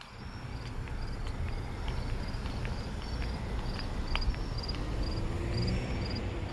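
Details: Cricket at night, heard during a walk to the store: short high chirps repeated roughly every half second over a steady low rumble of traffic and street noise.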